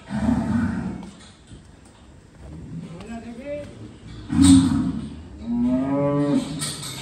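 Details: At Buddu Cattle Ranch in Keraniganj, a Sahiwal bull gives three separate moos: a rough opening call, a brief loud burst, then a drawn-out harmonic lowing, with quieter lowing in the gaps between them.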